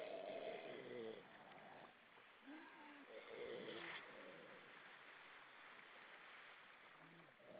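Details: Grey seals in the Baltic Sea off Estonia singing at evening: short harmonic moaning notes at the start and middle, then quieter scattered murmurs over constant background water sound.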